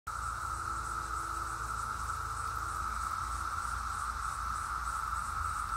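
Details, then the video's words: Periodical (17-year) cicadas flying about fill the air with a steady, droning whine that holds one pitch without a break. "17 year cicadas flying and audio"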